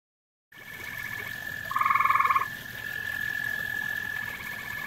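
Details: Grey tree frog at a pond it shares with common toads, giving a single short pulsed trill of about half a second, with a steady high whine running through and a second trill fading in near the end.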